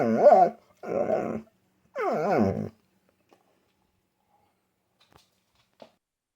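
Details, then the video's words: Mishka Ballou, a talking dog, vocalizing indoors: three loud, rich harmonic moaning calls with wavy, undulating pitch in under three seconds, followed by near silence with faint clicks. "How I test my English-speaking Dog (Real Talking dog, specific answer)"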